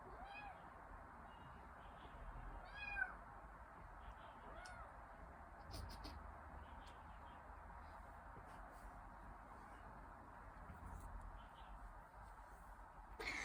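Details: Young Dragon Li kitten in Hangzhou, Zhejiang, China, amid a play-fight, giving faint short harmonic meows near the start and around the third second over a steady background hiss.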